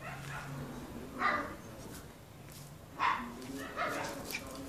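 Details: Pair of brown toy poodles, male and female: three short, sharp yapping barks spaced one to two seconds apart over a low steady hum and quiet background murmur.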